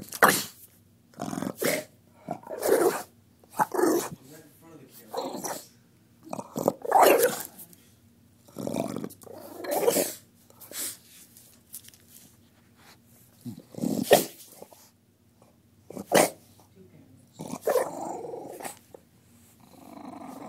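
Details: Lucy, a female Bulldog, upset at an impostor of herself in a picture, reacting with repeated growly barks and grumbles in bursts every second or two, mixed with a person talking to her indoors.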